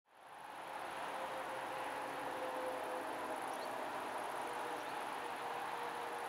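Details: A male great green bush-cricket (Tettigonia viridissima), recorded 2 September 2011, sings a sustained, sizzling high-pitched trill without pause, over a faint lower hum in the background.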